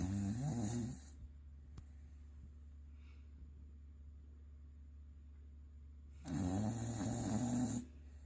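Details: Sakura, a Corgi, asleep with a heavy snore: a harsh, gravelly inhalation at the start, then a quiet pause of about five seconds, then a longer rattling snore lasting over a second.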